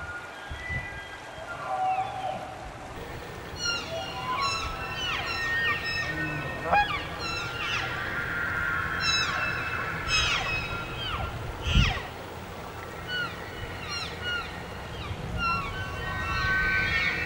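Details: Wapiti (elk) bulls bugling in forest in early September as the fall rut begins, calls challenging rivals and inviting cows; high whistled tones with stacked overtones rise and fall, several overlapping, among short descending chirps over a low rumble.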